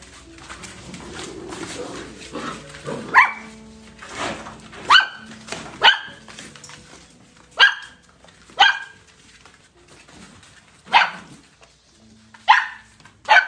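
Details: Golden Retriever puppies giving high, sharp barks, about eight short bursts spaced irregularly across the stretch, with a quieter murmuring background between them.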